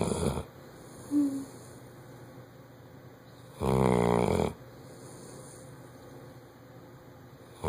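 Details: Luck, a Bloodhound, snores in deep sleep: a brief snuffle early on, then one long, coarse, vibrating snore of nearly a second, set against a quiet indoor background.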